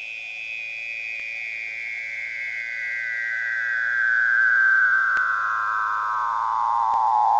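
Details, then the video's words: A Weddell seal sings beneath the Antarctic sea ice: an eerie underwater whistle that glides slowly downward for over seven seconds, swelling louder as it falls. "night chills: seal song"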